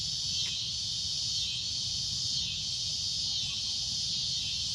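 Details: Cicada at sunset giving a loud, shrill droning buzz that swells and eases gently about once a second, with one faint click at the start.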